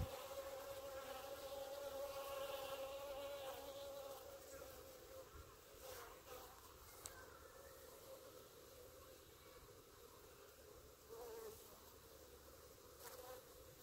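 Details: Honey bees in a clump on the grass outside the hives give a humming buzz, strongest at first with a bright steady tone, then softer with scattered clicks and rustles.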